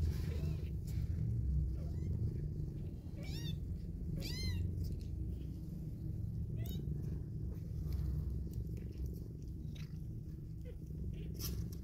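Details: A mother cat cuddles and kisses her newborn kittens, just opening their eyes, purring in a low unbroken rumble while the kittens give several brief high rising-falling mews.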